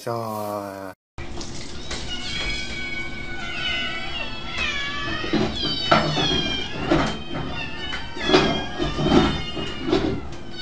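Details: Kittens meowing: several high, wavering meows that rise and fall, overlapping one another almost continuously after a short opening sound, with background music and a person talking softly.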